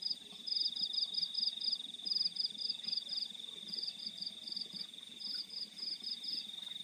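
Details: Crickets calling in the fields at night: bright, high chirps in quick pulsed bursts, grouped in runs of several with short gaps, over a steady unbroken high whine and a soft low rural hum.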